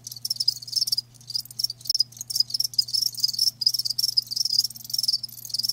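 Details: Crickets, live and natural, produce dense high-pitched pulsed chirps in quick rhythmic bursts, overlapping one another almost continuously; a soft low electrical hum runs beneath.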